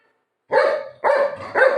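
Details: Golden retriever Buzo playing over a pillow with its owner, giving three loud, harsh barks about half a second apart, each a short burst, with a woman speaking Marathi around them.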